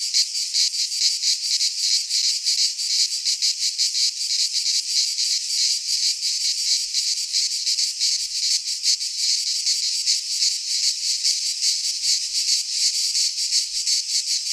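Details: Greek pine forest cicadas in midsummer give a continuous, harsh metallic buzzing, finely pulsed and swelling slightly around a steady level, nearly three pulses a second, with only a faint low rumble at times.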